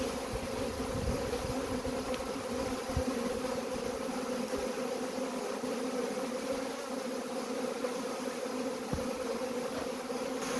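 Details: Honey bees in a swarm being gathered up, a constant layered drone with a strong fundamental hum and overtone, level and unbroken, a few soft low bumps.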